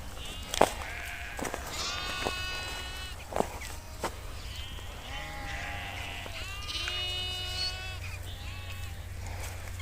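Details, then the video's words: Herd of sheep grazing in Kashmir with nomadic herders: a run of loud, wavering bleats from several animals, a few sharp clicks between them, and a constant low hum underneath. "Beautiful sound of sheep grazing in nature"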